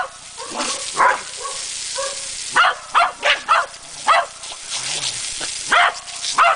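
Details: Corgi named Chess attacking a running garden water hose, barking in sharp bursts, some quick doubles, some spaced about a second apart, roughly ten barks with short growly yips between, over a steady hiss of spraying water.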